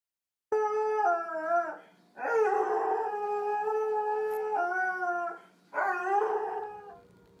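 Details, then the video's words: Dog howling along with the monthly test of civil tornado alert sirens; long sustained harmonic howls with wavering pitch, three bouts separated by short breaths, a steady low hum beneath. "Sings with the tornado sirens"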